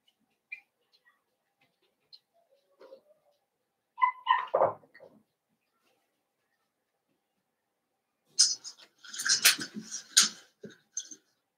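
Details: Blenheim Cavalier King Charles Spaniel puppies, a litter of five born at New Year, indoors in a puppy pen: a few soft squeaks, then a burst of shrill, high-pitched overlapping cries and yelps.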